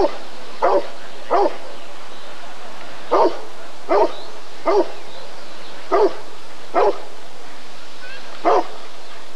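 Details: Rottweiler at the 1994 ADRK breed survey (Körung), giving loud, deep barks in irregular bursts, about nine barks over ten seconds with pauses between pairs, over a low background hum.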